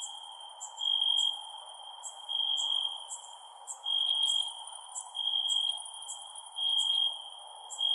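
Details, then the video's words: Night-time crickets trill in clear, high-pitched pulses that swell and fade about every second, while a thinner, higher ticking chirp repeats over them against a faint, steady background hiss. "Cricket Sounds @ Night"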